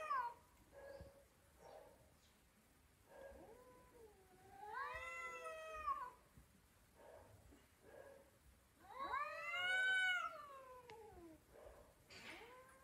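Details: Vocal domestic cat talking: short soft chirps and mews, then two long arching yowls that rise and fall over about a second each, separated by quieter murmured calls.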